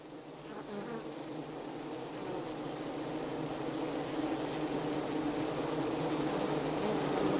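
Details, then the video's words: Honey bees inside the hive: a dense, droning buzz of many bees with layered humming tones, growing steadily louder through the stretch, with faint flickers of individual wingbeats above the hum. "Beehive Sound Library Preview"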